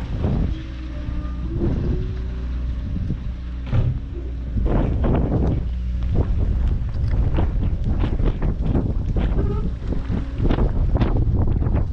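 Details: Heavy wind buffeting the microphone dominates, with a rumbling engine and faint human voices underneath.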